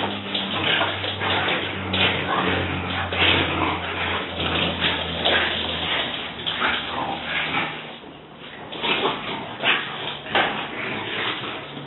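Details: Several French Bulldogs in a rough play session, giving rough, noisy growling bursts and yips in irregular clusters over a steady low hum, with a person's voice briefly heard.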